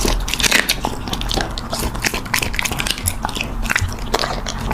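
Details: Puppy at mealtime, crunching food with quick, dense, crackly bites and clicks in rapid succession, recorded close up indoors.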